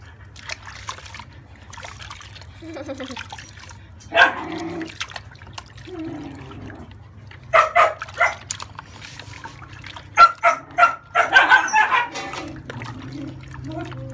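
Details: Thirty-day-old French Bulldog puppy yelping during a bath to wash off scaly skin crust; short harmonic whines early, then bursts of sharp yelps near the end over steady trickling water and low hum.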